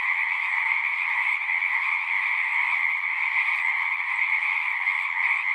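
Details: Many frogs singing at a pond in a horse pasture, recorded on a Zoom 6: a dense, unbroken chorus forming a steady high shimmering wall of sound over a lower trilling layer, with no pauses throughout.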